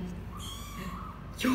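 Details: A 24-day-old kitten named Hajime, born to Laki, a former stray mother cat in Cambodia, gives a thin, high, drawn-out meow during its first weigh-in on 24 January 2020, with human voices talking before and after.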